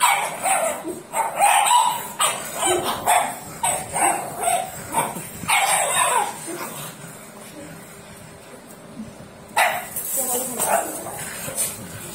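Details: Barking from a white pug, a rare toy breed: a quick series of about ten short yaps over the first six seconds, then quieter scuffling, and one more pair of barks near the end.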